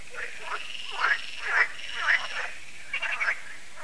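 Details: Frogs at Lac de Sabatte in France during the yearly evening frog concert: several nasal, rasping croaks swell and fade close together, with a softer chorus murmuring behind.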